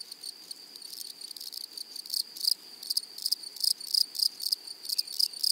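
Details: Flowery-meadow grasshoppers make high buzzy pulse trains, roughly three to four bursts per second and unevenly spaced, growing louder toward the end.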